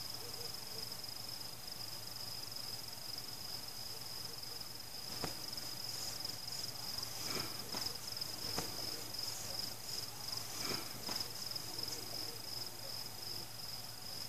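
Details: Crickets at night during a fireworks celebration, with no people, pets, music or cars: a steady high, thin trilling runs throughout while several booming firework bursts break in from about five seconds on, crackling after some blasts.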